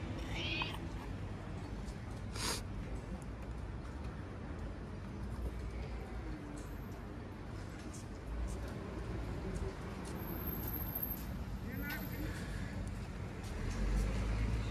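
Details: Among a busy gathering of stray cats, a brief high meow sounds early, followed by fainter, softer mews later on, all under continuous low traffic noise.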